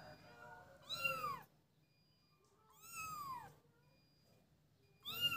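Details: High kitten meows from young cats playing together, each curving downward, come at about two-second intervals. Three cries are heard, the final one cut off, over a soft low background hum and thin steady tones.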